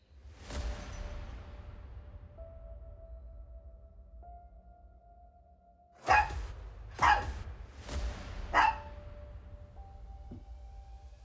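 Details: Chihuahua named Maya throwing a tantrum for attention, demanding to be looked at: four sharp barks in a quick burst after several seconds of quiet, over a faint steady background tone.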